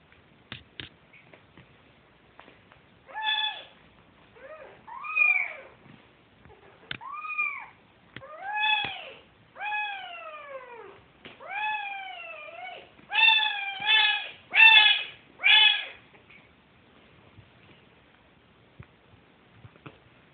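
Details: Kitten siblings searching for their mother's milk give a run of high, thin meows, some falling and some arching, about one every second, with faint tapping and rustling between calls.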